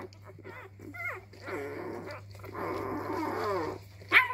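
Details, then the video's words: Labrador retriever puppy exploring its voice indoors: brief squeaky yelps, then drawn-out rasping growly grumbles lasting a second or more, ending in a sudden sharp yip, all over a low steady hum. "Welpe Herr Rot entdeckt seine Stimme."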